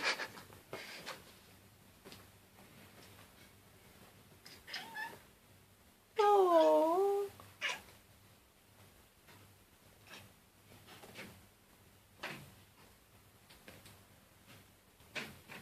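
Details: Male domestic cat making an unusual wavering, warbling call lasting about one and a half seconds, clear and tonal with a dipping pitch, amid quieter rustling and handling noises indoors.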